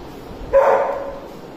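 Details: Doberman mix puppy, a street dog up for adoption, gives one short yelping bark with a clear tonal core, then falls silent against a faint background hiss.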